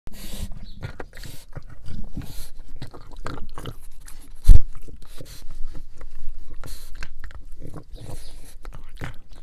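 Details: Pug dog chewing on bone marrow, wet gnawing and crunching sounds in irregular bursts with occasional sharp clicks, low and close.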